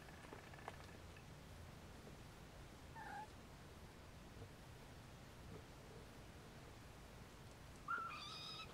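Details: Siamese kittens trying to take a nap beside their mother Siamese cat; a faint short mew early on, then a clearer, thin high mew near the end with bright overtones, against low steady background hiss.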